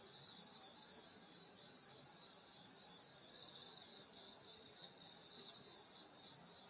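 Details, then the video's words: Summer night in the countryside by a grandmother's house, where a steady chorus of field insects forms a continuous high-pitched shimmering drone layered in several bands, with faint rustling background. "여름소리 풀벌레소리 시골밤소리"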